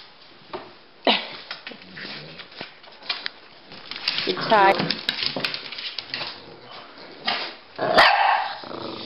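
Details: Two dogs, Rocky the Pekingese and Bully the Bulldog, playing chase together; scattered sharp barks and scuffling mixed with a person talking, then a louder burst of barking near the end.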